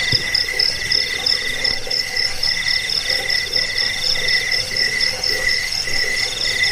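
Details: Chirping cricket, recorded for scaring rats and training birds: shrill beaded pulses in steady succession, slightly blurred, with a soft low rumble and a brief knock near the start.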